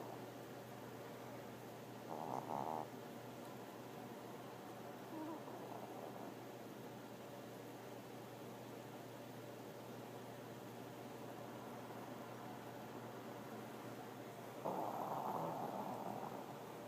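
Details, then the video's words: Tinker, a Pomeranian, lies half asleep and snores on, peeking with one eye; two short, breathy mid-pitched snorts around two and fifteen seconds stand out over a steady low indoor hum. "Tinker Pomeranian Snoring"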